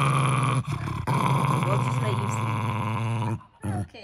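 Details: Possessive Jack Russell Terrier with his toy monkey, giving a deep sustained growl for over three seconds after a brief opening rumble, ending in a short final grumble, with human speech alongside.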